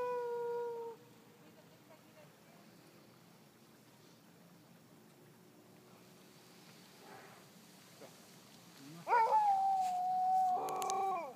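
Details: Sled dogs singing in Kulusuk, East Greenland, in summer. One gives a brief wail, then after a quiet stretch a long, sustained howl that holds its pitch and sags gently. A second voice briefly joins near the end.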